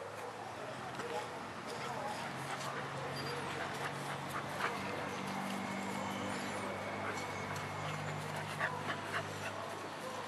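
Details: Two Pit Bulls playing together, Serena in a red collar and her little brother Thor, recorded on a Sony HX1; scrappy, irregular barks and whimpers come in quick bursts over a steady low hum and human talk.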